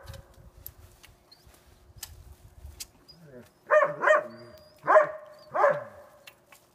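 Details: Sasha, a dog blind since April 7, 2016, recorded April 20, 2016 while playing the way she did as a young puppy; after soft rustling and thumps, four loud, harmonic barks come in two quick pairs, over a faint steady hum.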